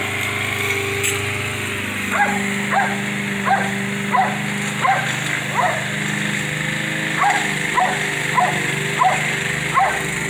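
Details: Baxter, a Jack Russell Terrier mix, yells at his owner, angry that his mom is mowing the yard. Short sharp barks repeat about every half second in two bursts, over the steady drone of a lawn mower.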